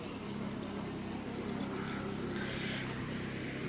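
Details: Continuous engine rumble and outdoor noise with faint voices in the background, and no clear animal call.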